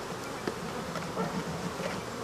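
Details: Dense, steady droning hum of a mass of African honey bees as their hive is taken apart, with faint taps against the continuous buzz.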